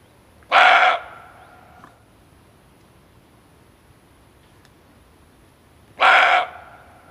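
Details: Male barking deer in a hunting lure recording gives two abrupt, coarse barks about five and a half seconds apart. Each lasts under half a second, and a faint click falls in the quiet gap.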